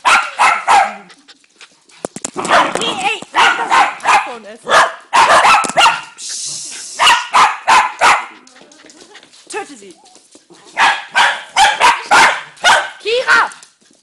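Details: Dogs barking in repeated loud bursts, several barks in quick runs with short pauses, some higher yips among them, and a brief hiss near the middle.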